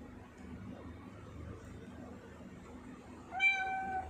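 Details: Pet tortoiseshell cat indoors, a single short rising-then-level meow near the end after quiet room noise.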